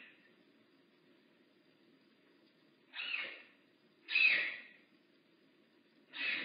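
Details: Makani, a rehab bobcat at Big Cat Rescue, gives three breathy, hissing bursts spaced one to two seconds apart, each rising quickly and fading, over a faint low background hum.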